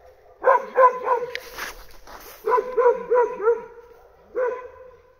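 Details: Snap, a Bull Terrier puppy, with the mongrel Sevo nearby: bursts of short, high yapping barks, three in quick succession, then a run of four, and a single final yap.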